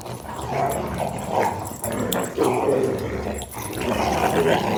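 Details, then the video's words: Three German Rottweilers, a male and his two sisters, playing and wrestling; rough, rumbling growls and throaty grunts overlap almost continuously, swelling and fading in pulses, with occasional higher whiny notes. "German Rottweiler Playing outside and wrestling. Funny dog noises."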